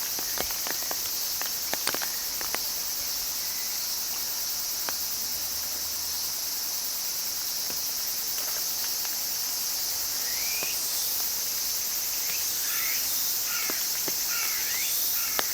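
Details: Cicada singing: a loud, unbroken, high-pitched shrill drone holds steady for the whole recording, with scattered clicks early on and brief chirping bird notes in the later seconds.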